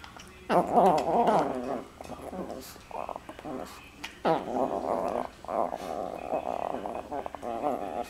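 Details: Dogs play fighting with jaw wrestling, producing bursts of rough, rumbling growls and throaty grumbles in uneven runs separated by brief pauses and snuffling, in a small room.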